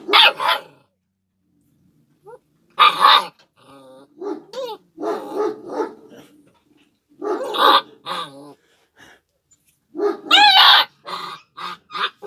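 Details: Kangal shepherd dog puppies giving high, harmonic yaps and whining barks in irregular bursts, several loud clusters separated by short pauses, with quieter yelps between them and possible faint voices.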